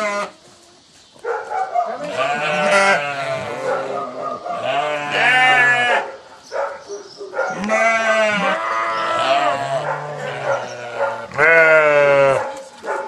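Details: Several sheep answer a farmer calling them with loud, tremulous bleats, each wavering cry lasting a second or two, his lower voice heard between and beneath the bleating.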